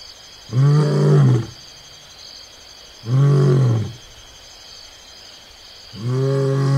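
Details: Lion at close range on Onguma Game Reserve in Namibia, giving low, heavy roaring grunts, two full ones about two and a half seconds apart and a third starting at the end, over a quiet, hissing background.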